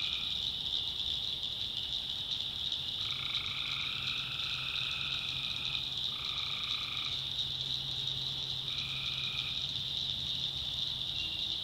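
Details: Night chorus of tree frogs in a North Carolina backwoods swamp, with drawn-out nasal calls of roughly a second, some overlapping, set against a steady piercing high-pitched drone.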